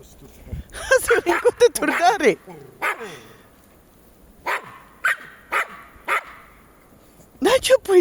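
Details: Jack Russell Terriers, two dogs, barking and yipping: quick bursts of high yelping barks at the start and end, single barks spaced between, with a woman speaking Latvian nearby.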